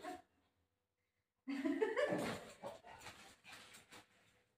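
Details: Pet Shih Tzu named Milo indoors at home, giving a burst of short yipping barks and whimpers that starts abruptly after a second of quiet, with harmonic yelps repeating quickly and then fading into softer whines.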